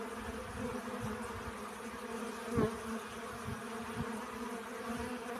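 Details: Pollen-gathering honey bees give a continuous low hum with stacked overtones, broken by one brief louder buzz or knock midway and soft low-pitched rumbling in the background.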